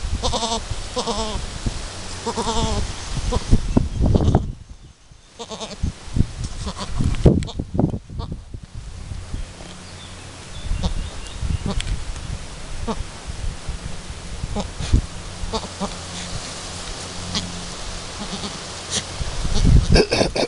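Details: Chamois-coloured Alpine doe Chiara, first kidding, with her newborn kid two hours after birth as nursing is attempted: a run of quavering harmonic bleats in the first seconds, then handling noises, thumps and low hum.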